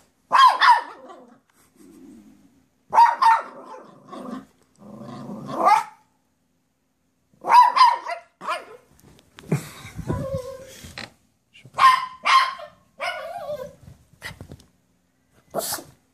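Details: Excited poodle Kate reacting to a squirrel descending a tree by the driveway: repeated high yelping barks in clusters with whining cries between, irregular bursts across the whole stretch, one low muffled rumble midway.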